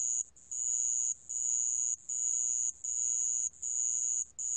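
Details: In a 2020 National Institute of Biological Resources recording, a sand cricket gives a bright, high-pitched ringing trill in repeated bursts of under a second, each followed by a short silence, with no other sounds.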